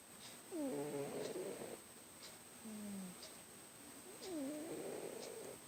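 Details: Sleeping house cat Obi snores loud enough to be mistaken for a neighbour. Three breaths are heard, each a wavering, whistly nasal tone with overtones, separated by quieter pauses, over a constant electrical hum.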